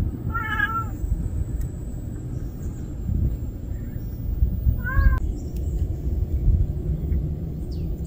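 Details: A street kitten that cannot do without its mother gives two clear, wavering meows about four seconds apart. The first is drawn out and the second shorter, over a constant low outdoor rumble.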